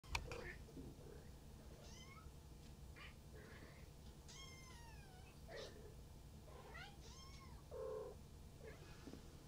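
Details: Maine Coon kitten about to fall asleep, with a breeder in Tokyo, giving several soft, high meows that slide downward, spaced a second or two apart, over a steady low hum.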